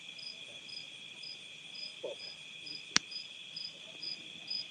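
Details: Crickets calling at night outdoors at a farm in Nauvoo, Illinois, USA, a continuous high-pitched trill layered with brief chirps repeated about twice per second; one loud snap cuts through midway.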